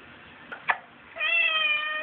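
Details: Domestic cat indoors wanting to go outside, a couple of soft clicks, then a long steady harmonic meow held for nearly a second, loud and close.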